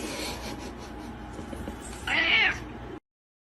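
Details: A single short meow from a domestic cat, a brief rising-falling cry near the end, over a steady indoor background hum.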